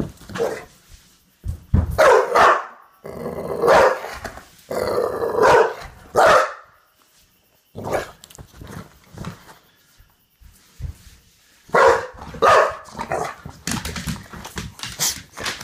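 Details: A male Olde English Bulldogge, revved up while playing and rarely a barker, gives deep, gruff barks mixed with rumbling growls, in bursts with short pauses.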